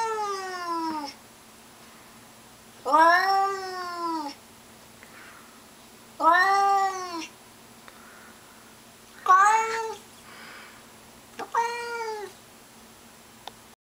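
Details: Domestic cat bellowing at a stray cat lurking around the bushes outside: five loud, arching, nasal wails, each roughly a second long, repeated every two to three seconds with quiet in between.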